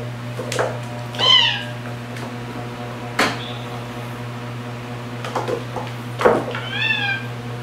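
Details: Margaret, a rescued female white cat with orange markings on her head and tail, meows twice indoors, each a rising-then-falling harmonic cry, separated by soft clicks and knocks over a steady low electrical hum.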